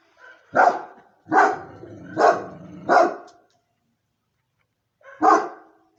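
A Moscow Watchdog gives deep, loud barks, four in quick succession, then one more after a pause.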